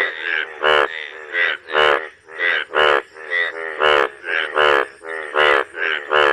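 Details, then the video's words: Frog mating call: loud, nasal, crying notes with strong overtones, repeated steadily about every half to three-quarters of a second through the whole stretch. "Frog mating call"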